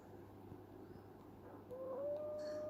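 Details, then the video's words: Dreaming kitten asleep, giving one thin mew that rises and then holds a level tone near the end, over a faint room hum. "Kitten Dreaming and Making Funny Sounds"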